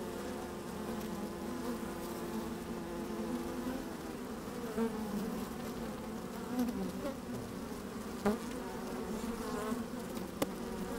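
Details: Working honey bees in an open hive on a sunny, breezy day, microphone placed down in the hive; a constant layered droning buzz with small rises and dips, occasional sharp clicks and brief louder buzzes.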